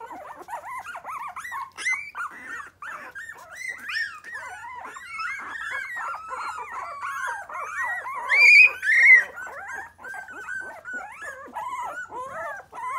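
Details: Several three-week-old Miniature Pinscher puppies in a litter of five cry together in a small room. A dense, continuous chorus of wavering, overlapping whines carries throughout, with a brief piercing squeal near the end.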